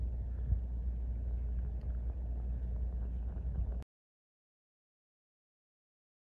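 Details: A steady low engine rumble, like an idling vehicle, runs for almost four seconds and then stops dead into silence, with no animal calls heard.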